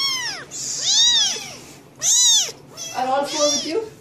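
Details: Cats meowing incessantly: a quick run of arched, rising-and-falling meows, four or five in four seconds, some short and some stretched, with a few softer voices between.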